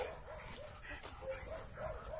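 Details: Playful Labrador Retrievers, brothers Oskar and Graf, meeting again after a long time apart; a string of quick repeated barks roughly every quarter second, with a man's voice in the background.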